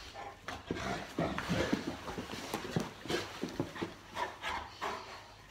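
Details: Boerboel Molly playing with her owner at night, making short huffing pants and low grumbling growls in quick, irregular bursts.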